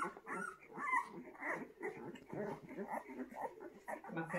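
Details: Fawn Bullmastiff puppies from a litter of ten in Reggio Emilia, Italy, yelping and whining together in quick, overlapping bursts, with a voice speaking nearby.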